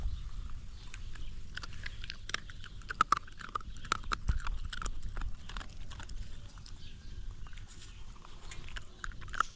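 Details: Close recording of a young, hungry dog gnawing its food: quieter scattered crunching and crackling tooth clicks over a low rumbling background, irregular bites spread across the whole stretch.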